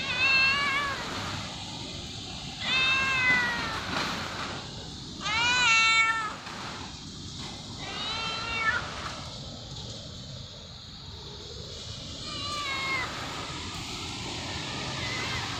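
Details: A hungry fluffy white cat meows repeatedly, about five rising-and-falling harmonic meows spaced a few seconds apart, some short and some drawn out, with faint household background noise.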